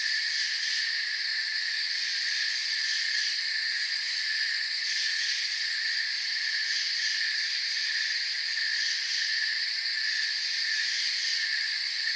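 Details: Massed forest crickets produce a seamless, shimmering high drone of several layered trills. The top band pulses quickly at moments and a slight swell comes around the middle; otherwise the chorus is unvaried.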